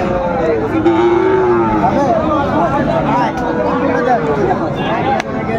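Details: Several Sahiwal bull calves at a market, 20 February 2025, moo in overlapping, wavering calls throughout, one low drawn-out bellow near the start, amid bargaining speech and market hubbub.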